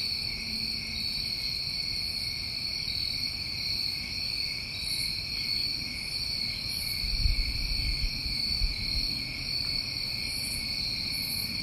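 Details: Many crickets trilling on a New England summer night, a constant high buzzing drone in stacked bands. A short low thump intrudes near the middle, with scattered faint high chirps above.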